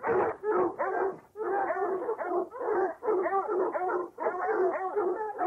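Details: Dogs hunting or chasing bay almost without pause, overlapping drawn-out yowls and barks merging into a continuous excited chorus.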